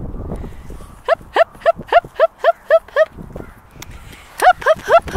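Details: Sojou, a 19-week-old female Alaskan Malamute puppy, playing with golf balls under strict supervision: a quick run of ten short, downward-sliding yips about three per second, a pause, then three more, with soft human voices behind.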